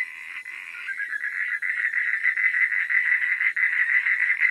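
Frogs calling at night in a steady chorus of rapid, pulsed notes around a fairly high pitch.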